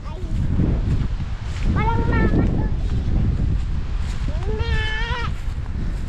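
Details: Goat kept in the Ilocano countryside of the Philippines, giving two wavering, nasal bleats about two seconds apart, partly covered by people talking and low rumbling handling noise.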